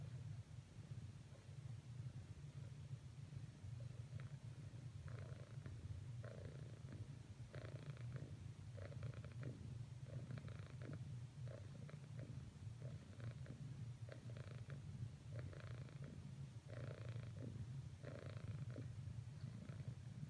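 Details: Domestic cat purring while persistently trying to cuddle with a companion; a constant deep rumble runs throughout, overlaid from the midpoint by repeated soft rustling and kneading-like bursts about every second.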